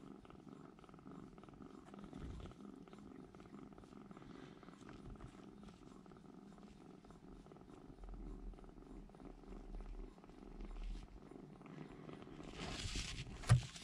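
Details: Three rescued baby kittens huddle together in a room corner to keep warm, too young to regulate body heat; low, steady purring rumble runs throughout, with a sharp hiss of noise near the end.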